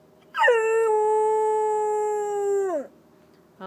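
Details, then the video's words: A rescued Chow-Golden Retriever mix dog howls while conversing with its owner: one sustained, steady tonal howl of about two and a half seconds, rich in harmonics, ending in a downward slide, with a voice starting just after. "My Dog Speaks Howl-ese"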